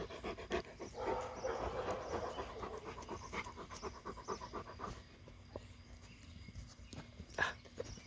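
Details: Great Pyrenees puppy at playtime in a back yard, panting in quick soft rhythmic breaths of about two per second that fade after five seconds, followed by quieter scuffling.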